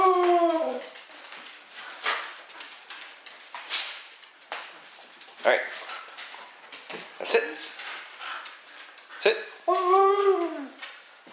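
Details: Three dogs, Mishka, Laika and Moki, indoors begging for bacon and told to sit; rising, arched whines at the start and near the end, between clicks, taps and a person's speech.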